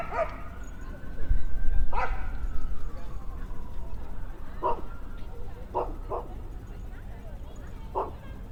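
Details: Dogs playing in the off-leash area of Trinity Bellwood's Park, an urban downtown park in Toronto, in spring: short sharp barks scattered every one to two seconds, with a thin whistle-like tone and background park chatter.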